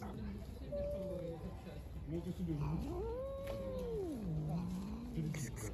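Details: Hungry, aggressive stray cats living outside, four of them meowing loudly and trying to attack each other; long drawn-out wavering yowls, one short, then a longer one that rises, holds and falls, over a steady low rumble.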